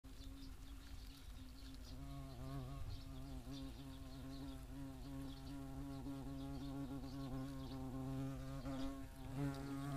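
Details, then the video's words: European hornet at a nest box in the Eifel, a steady low droning buzz with wavering harmonics running throughout, rising slightly in pitch near the end, over faint outdoor background. "Hornisse (Vespa crabro) am Nistkasten"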